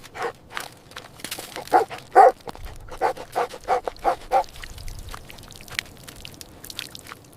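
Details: Playful puppies on green grass beside baby rabbits let out a run of short, bright yaps, about two per second, which fade into scattered faint yips and soft rustling.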